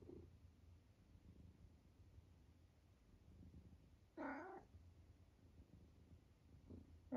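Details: Elderly tabby cat from Great Britain, soon 12, making random squeaks while entertaining himself: a short nasal squeak midway and another bright chirp cut off at the end, otherwise quiet room with faint low hum.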